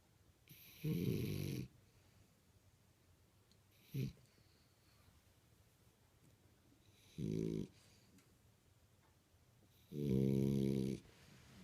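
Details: Sleeping French Bulldog named Imohei snoring: loud rasping snores with bright low buzzing and a hissy upper edge, three long snores near one and seven and ten seconds plus a short snort between, quiet breathing gaps in a small room.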